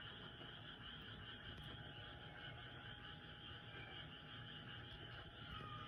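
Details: Night chorus of many frogs, louder than a cat calling somewhere nearby: sustained high trilling layers that never pause, a few brief sliding notes on top, and low rumble below.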